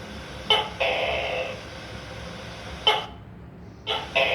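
A tokay gecko gives loud two-part barking calls, a sharp click followed by a longer harsh croak.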